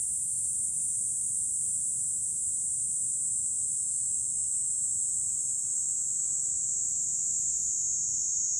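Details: July cicada chorus heard from high ground above Fukuoka City, Japan, a continuous shrill sizzling drone without pauses, even in loudness from start to finish, over a soft low background murmur.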